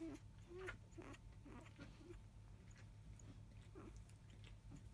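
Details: Newborn field-line Labrador Retriever pups, five days old, born to biscuit, the 2017 JFA Grand Champion. Recorded shortly after 3 pm. Brief, arched whimpers come about every half second early on, then pause before one more squeak. A constant electrical hum runs beneath.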